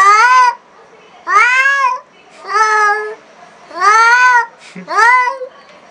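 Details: Enraged black cat on first meeting a new cat repeats a series of five loud, harmonic yowls, each under a second long and curving up then down, spaced roughly one to one and a half seconds apart, indoors.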